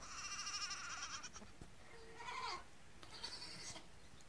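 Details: Nigerian Dwarf goat kids on their first day, in the morning: a high, quavering bleat lasting over a second, then a shorter wavering cry and a third thin bleat, over steady background hiss.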